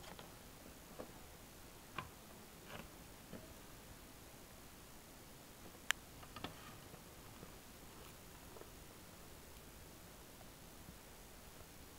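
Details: Near-silent room with faint scattered ticks and clicks.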